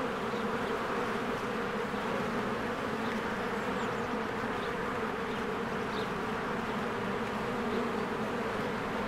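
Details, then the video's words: Many honeybees working at their hive in spring, their wingbeats merging into an even, unbroken low hum, while small distant bird chirps flick in now and then over the drone. "1 Hour of a Beehive ASMR | A Spring Nature Ambience Sounds"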